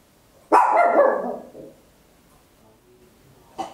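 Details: Small Papillon dog barking very loud indoors, Olympus LS-11 stereo recording: one long, rough bark lasting about a second, then silence, and the start of another bark cut off at the end.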